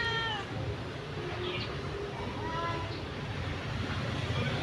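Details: An orphaned cat outdoors by a house gives a short meow, then a fainter second one a couple of seconds later, half-buried in constant low droning noise.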